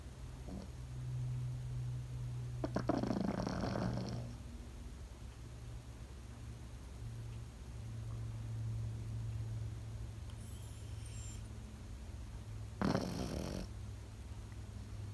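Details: Sleeping Pekingese dog. A long, gravelly snore comes early, then quiet breathing over a low drone, then a second, shorter snort-like snore near the end.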